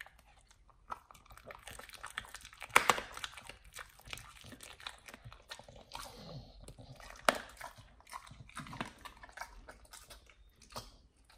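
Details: Nomyen the Pit Bull tearing into a raw whole Thai duck, first time on this food; scattered crunching bites and wet chewing, with two loud snapping crunches standing out amid quieter gnawing.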